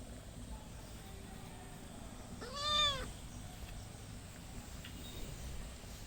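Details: Kitten giving a single clear rising-then-falling meow lasting about half a second, in an otherwise quiet room with low background hiss.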